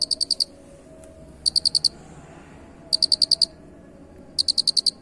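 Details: Unusual-sounding cricket: four crisp, high chirp bursts, each a fast run of about five pulses, spaced evenly about one and a half seconds apart, with a soft steady hum beneath.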